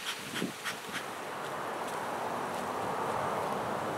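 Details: Western honey bees disturbed while their hive is removed from a palm tree in Mission, Texas. A steady, dense droning hum builds and fills the clip, after a few sharp knocks and taps in the first second.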